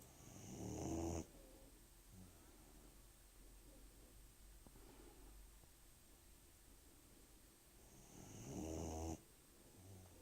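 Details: An 18-week-old puppy sleeping and snoring: two long, raspy, broadband snores, one at the start and another about seven seconds later, with soft steady breathing and a faint constant hum in between.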